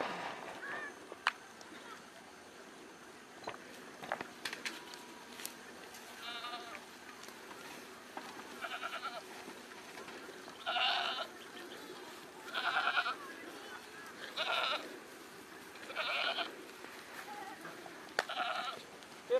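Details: Goats on a farm in Nagaon, Assam, India, bleating repeatedly: a series of about eight wavering, nasal, harmonic bleats, each around half a second long, coming every second or two. Faint voices and clicks sound in the background.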